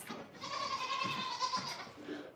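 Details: Goat on a home farm on a morning visit, a doe not milked this year with kids near; one sustained, nasal, steady bleat lasting over a second, followed by faint rustling.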